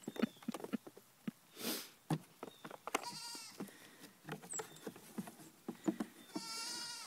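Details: Goat kids three weeks old, dancing about; two clear quavering bleats, one midway and one at the end, rising over a steady patter of hoof clicks and knocks.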